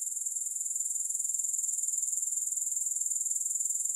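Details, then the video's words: Unbroken high insect shrilling from grasshoppers, a rapid metallic pulsing at a steady pitch and volume throughout, with no music or other noise. "3 Hours of Grass Hopper Sounds"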